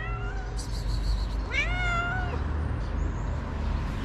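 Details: Stray cat met early in the morning in Morocco, meowing for food: one long rising-then-falling harmonic meow, preceded by a faint higher cry, over a steady low background hum.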